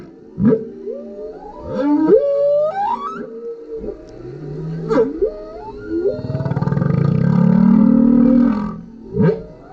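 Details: Humpback whale, a male, singing underneath a kayak as filmed with a GoPro: a series of rising whoops and yelps repeated every second or so, followed by a long pulsing low moan.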